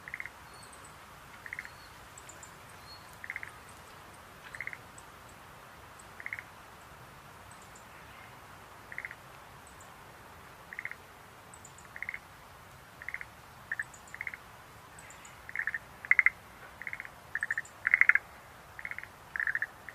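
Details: Rhacophorus schlegelii, Schlegel's green tree frog, calling in short pulsed notes spaced a second or two apart, growing busier and louder toward the end, over a soft hiss with faint high chirps.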